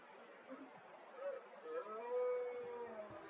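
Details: Red deer stag in Asturias, Spain, during the 2021 rut, giving the typical mating-season bellow as males seek to pass on their genes. A drawn-out, moaning harmonic groan swells in loudness and holds steady near the end, over faint background hiss.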